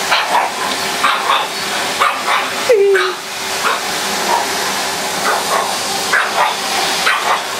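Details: Polly, a pet Pug, barking at a running vacuum cleaner named Henry: sharp, yappy barks come in quick bursts, roughly one or two each second, with a brief rising-then-falling whine near the middle, all over the vacuum's steady loud drone.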